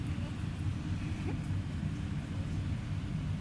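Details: Low wind rumble buffets the microphone throughout, with no animal call audible.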